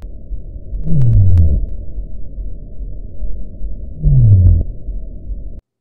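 Two low sei whale calls, each a short downward sweep a few seconds apart over a steady underwater hiss.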